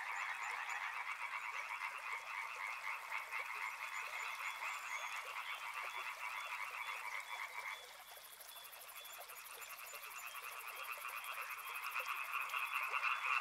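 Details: Many frogs croaking near a river in rapid pulses; the lower part of the chorus drops out midway, leaving thinner calls and a high steady buzz, before building back louder.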